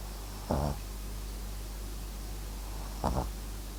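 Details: MAX, a Papillon and Japanese Chin mix dog, snoring in his sleep: two short, raspy, pulsed breaths about two and a half seconds apart over a steady low hiss.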